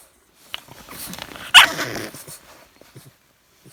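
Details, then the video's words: Thirteen-week-old English bulldog puppy making funny noises at night, something that happens every night: low snuffly grumbling swells into one sharp, yelping bark-like burst, then fades to soft snorts. A man's voice questions the puppy nearby. "Bulldog Puppy Makes Funny Noises"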